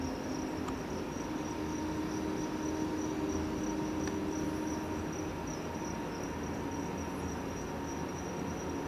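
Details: Two-spotted cricket at the Ishikawa Insect Museum in Ishikawa Prefecture, filmed June 2019. The species lives on Amami Oshima and in tropical Southeast Asia. Continuous high-pitched buzzy trilling persists above a loud low droning background.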